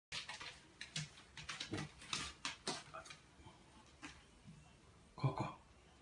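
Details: Indoors, a blind 14-year-old Shih Tzu with terminal cancer and seizures makes short, breathy, snuffling bursts at uneven intervals, after regaining consciousness and walking again.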